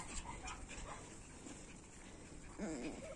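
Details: Puppies from two litters, of the dogs Orlanda and Lana, indoors: after a quiet stretch of rustling, a short wavering whimper rises and falls near the end, with a person talking nearby.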